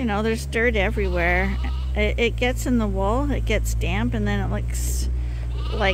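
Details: A crowd of lambs at Ewetopia Farms, still with their mothers yet topped up twice a day from a hand-made bottle feeder, bleats almost nonstop. Wavering, quavering cries overlap one another, with a steady low machine hum beneath.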